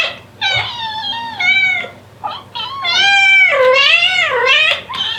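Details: Devon Rex cat; contact call; mother calling her kittens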